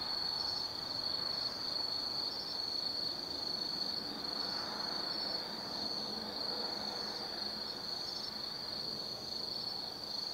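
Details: Insects of the autumn forest singing at night at Tsukimi no Mori observation point, Gifu Prefecture, Japan; a sustained piercing high trill, gently waxing and waning, with softer pulsed calls beneath and a soft background hum of distant roads.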